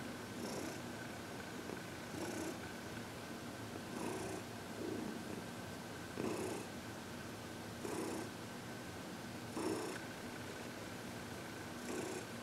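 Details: Heidi, a happy 14-year-old senior cat adopted from the Humane Society of New York City, during massage and reiki on February 22, 2021: soft, steady purring with breathy pulses recurring roughly every one and a half seconds, over a faint constant hum.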